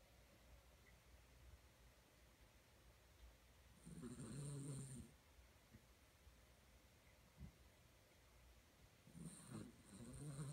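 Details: A sleeping Maltipoo puppy snoring indoors: soft, low rumbling breaths swell in two longer bursts around four and ten seconds, with faint quiet breathing between them.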